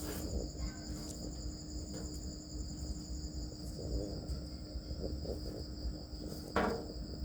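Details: Cricket farm, where many crickets keep up a constant high metallic trill while scattered clicks and knocks and a sharp thump near the end break in over low background rumble.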